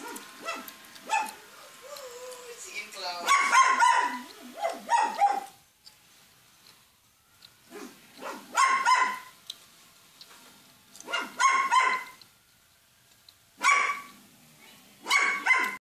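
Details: A dog howls along as Santa drives by, giving bursts of yelping, wavering howls that rise and fall in short repeated phrases.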